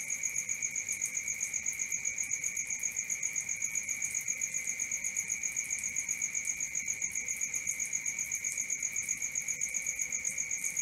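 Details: Crickets chirping in the night, high, trilling pulses repeated several times each second over a continuous ringing note, calm and uninterrupted.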